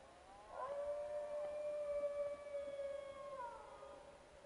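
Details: Wild dogs howling at camp: a sustained level howl of about three seconds overlapped by a second, higher voice that slides downward, both fading together against a hissy background.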